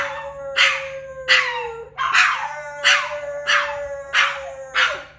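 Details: Male pet dog howling: a sustained, even mid-pitched tone running through the whole stretch, punctuated by loud, rough, breathy bursts about every two-thirds of a second, seven bursts in all.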